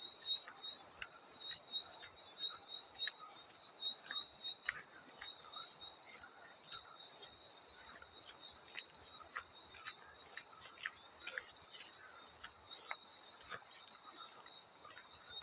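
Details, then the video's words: Field cricket calling for a sleep-sound mix: steady, high, shimmering trill held without a break, with soft irregular clicks and patters of water splashing throughout. "Easy Sleep Sounds: Field Cricket + water splash sounds"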